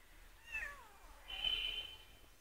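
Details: Cat meowing, a short falling mew followed by a longer, steady high-pitched mew, faint against a quiet background.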